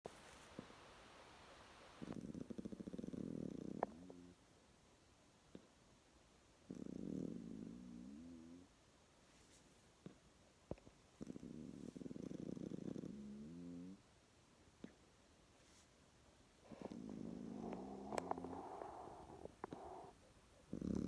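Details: A young koala, fallen asleep after a formula lunch, snores in low, rough rumbles that return every four to five seconds.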